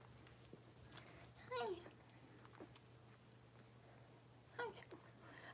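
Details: Blenheim Cavalier King Charles Spaniel puppy from a litter of five, six weeks old, indoors in a puppy pen. Two short, falling whimpers about three seconds apart over a low hum, with light rustling and quiet voices.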